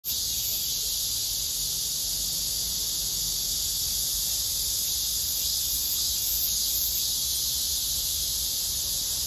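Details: A robust cicada (참매미) gives a steady, shrill, high-pitched buzz, unbroken throughout, with a faint low rumble beneath, its song rendered as "maem-maem" and linked to hot weather; Robust cicada.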